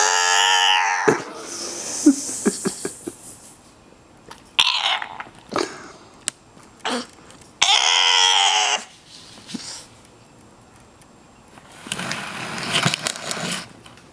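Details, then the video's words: Dogs and puppies making funny sounds: drawn-out, high harmonic whining cries at the start and again near eight seconds, with short sharp yelps and clicks between, then a stretch of hissy, broadband noise toward the end. "Sweet Cute Lovely Dogs and Puppies funny sounds"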